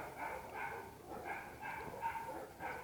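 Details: Black German Shepherd during guard training, giving a steady series of fairly faint barks, roughly three per second, each short burst bright and harmonic, with a low background murmur.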